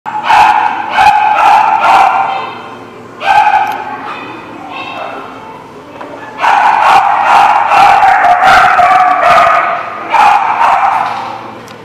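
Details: Dogs barking in loud, harsh bursts, several sharp barks in quick succession, a pause, then a long dense run of overlapping barks, with a steady low hum beneath.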